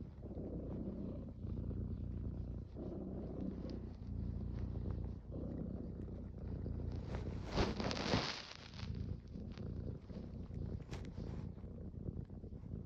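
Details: Domestic cat purring closely and loudly, a deep rumbling buzz pulsing in even breath cycles, with a brief rustling burst partway through.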